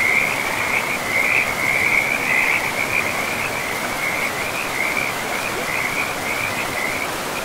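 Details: Frogs at a river in a pristine forest call loudly and almost continuously, a run of bright trilled chirps that rises and falls slightly, above a softer background rush of water.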